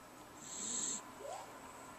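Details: Jack Russell terrier snoring while awake with eyes open, a single hoarse, breathy hiss swelling and then cutting off abruptly, followed by quiet room noise.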